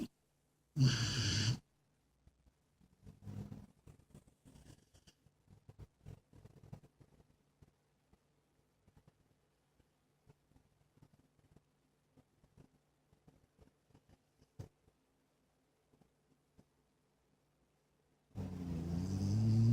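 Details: Penny, a female Jack Russell Terrier mix, a steady snorer since a few months old, asleep: one loud rasping snore near the start, long near-silence with faint ticks and shuffles, then another snore starting at the very end.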